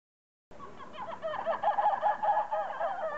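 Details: Captive red ruffed lemurs at Zoo de Lagos in the western Algarve, Portugal, in 2014. A harsh, pulsed chorus of overlapping calls starts abruptly and builds into rapid repeated bursts that rise and fall in loudness.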